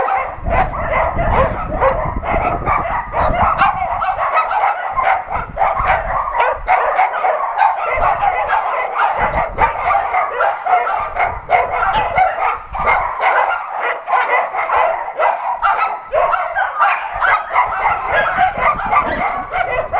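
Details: A chorus of shelter dogs at an adoption center barks nonstop during an NRK TV crew's visit, many voices overlapping into a steady clamor of sharp, mid-pitched barks for twenty seconds with hardly a pause.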